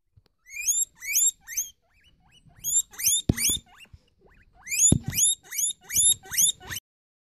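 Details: Guinea pig squealing in loud, high whistled wheeks that rise sharply, mostly in quick bursts of three to six, with soft rustling and a few clicks between the bursts.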